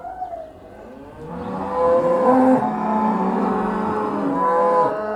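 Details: Cows coming back to the barn, a long steady lowing with several animals blending into a sustained droning moo, a thin whistle-like tone over it.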